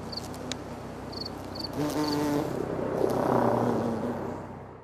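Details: Bumblebee in close macro footage, a low droning buzz with stacked harmonic bands that waver in pitch and swell louder toward the end, over steady background hiss with a few short high chirps early on.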